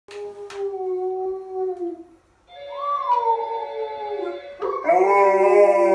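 Golden Retrievers howl in long, wavering tones that rise, sag and overlap into a chorus.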